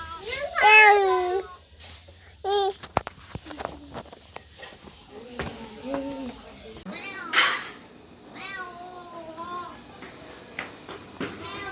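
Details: Scattered meows from cats and kittens: a loud strained cry at the start, then quieter arched mews separated by pauses, clicks and thumps, with another loud burst near the middle.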